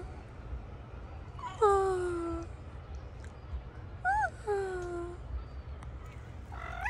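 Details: One of two very hungry street cats at food: drawn-out meows with falling pitch, a short rising-falling chirp between them and a further call at the end, spaced irregularly over steady low hum.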